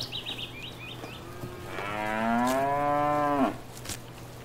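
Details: Cow in a grazing field, giving one sustained moo that rises slightly in pitch and ends with an abrupt drop, after a short run of bird trills at the start.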